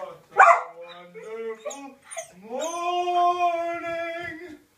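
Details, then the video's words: Samoyed dog singing along to an advert song he always pays attention to; short yelps and wavering notes, then a long rising howl held steady for about two seconds before fading. "samoyed singing"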